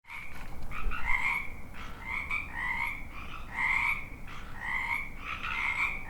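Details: Frogs croaking in a dense ambience chorus, rapid overlapping pulsed croaks with a bright upper band and lower harmonics, bursts roughly every second, several callers overlapping against a low background rumble.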